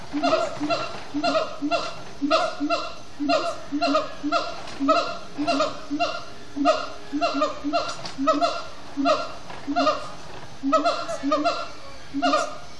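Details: Siamang gibbons in an extended sundown chant at Disney's Animal Kingdom; long run of rhythmic, barking whoops delivered in quick clusters, harmonic and nasal, with a faint low tone underneath midway.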